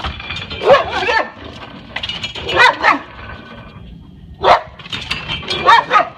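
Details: Pet dog in a fenced yard, the dog previously escaped many times. Loud, harsh barks come singly or in quick pairs, about four bursts spread over several seconds, with quiet gaps between.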